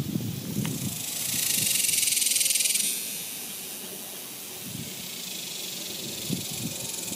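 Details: Cicadas singing in summer 2021: a loud, rapidly pulsing high buzz swells for about a second and a half, then drops to a fainter steady hiss, with footsteps and low rustling underneath.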